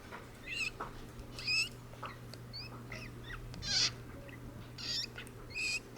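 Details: Golden hamster breathing with its mouth open and snoring: faint, short wheezy bursts with thin squeaky high overtones, recurring about every one to two seconds over a low steady hum.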